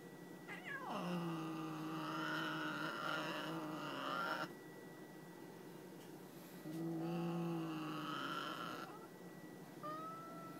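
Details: . Grumpy female domestic cat that won't tolerate being looked at or touched gives long low harmonic yowling growls, one about four seconds then another about two seconds, with a short rising call at the end; indoors, no voices.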